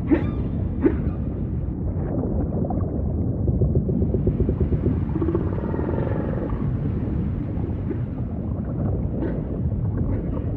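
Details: Humpback whale song set in ocean ambience: low moaning calls with a harmonic, swelling tone near the middle, all over a steady deep underwater rumble.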